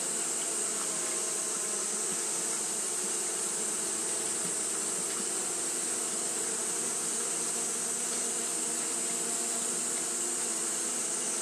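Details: Hot-day fanning by Japanese honey bees: a long, even hum of many wings, low tones steady beneath a persistent high-pitched hiss.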